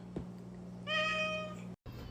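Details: A cat gives one clear, tonal meow lasting under a second and holding a steady pitch over a low electrical hum, then the sound cuts out briefly.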